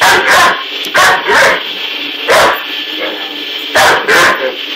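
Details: Great Dane puppy barking at a running vacuum cleaner powerhead, seemingly treating it as an enemy; short sharp barks come singly and in pairs, about six in under five seconds, over a steady droning vacuum hum.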